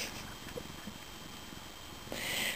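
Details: A pet cat named Benny purrs in a low, steady, pulsing rumble under a hiss of background noise while his owner fusses over him and calls him a favorite.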